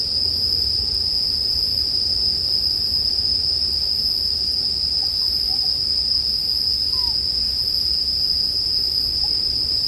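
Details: Bell crickets give a steady, unbroken high ringing tone throughout, with soft low crackling from a campfire underneath.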